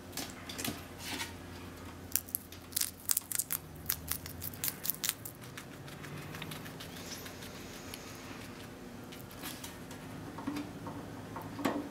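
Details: Only sharp crinkling, tearing and rustling noises fill a small indoor room. No clear animal voice stands out among them.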